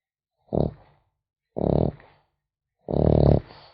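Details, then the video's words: Snoring of a sleeping French Bulldog puppy, three grating nasal snorts growing longer, the third drawn out and wheezy, with silence between them. "Храп щенка французского бульдога"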